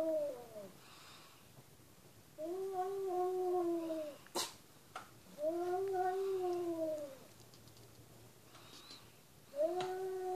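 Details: Domestic cat meowing three times, long arched wails spaced a few seconds apart, with a sharp click or knock between the first two calls in an otherwise quiet indoor space.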